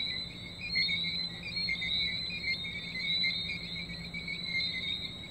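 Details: Tree frogs calling at night in St Maarten: a dense chorus of high, shrill whistled notes forming two steady overlapping bands, with faint pulsing and a thin continuous high tone above.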